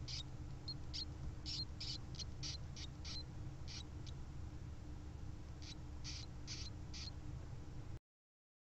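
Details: Newborn Djungarian hamster pups calling for their nursing mother: quick, thin, very high chirps several per second, pausing midway, then resuming, against a constant low rumble.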